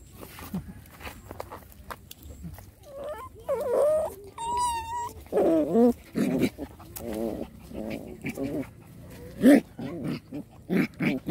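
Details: Rottweiler puppies play fighting, giving high whining whimpers and yelping cries that rise and fall in short bursts, with rough growly yelps between and soft human voices in the background.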